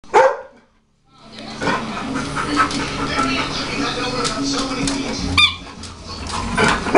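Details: A dog gives a sharp, loud bark at a china cabinet, followed by muffled household noise and voices.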